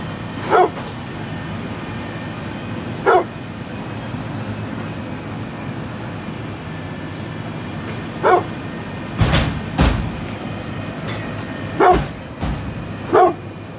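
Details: Brindle pit bull, 9.5 years old, gives single short barks spaced a few seconds apart, around six in all, with two sharper bursts near the middle, over a steady low rumbling background noise.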